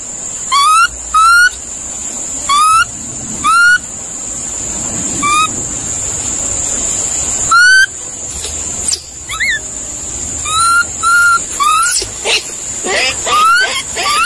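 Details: Monkey calls arriving in irregular bursts: brief upward-sliding whistled notes, sometimes in close pairs, with quieter gaps between them. A constant shrill hum sits under the whole recording.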